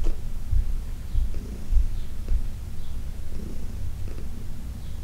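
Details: Deep, throbbing purr of Heidi, a senior female cat rescued from a New York City shelter, as she is massaged on June 17, 2021. Steady low vibration with slight rhythmic pulsing and faint rustling.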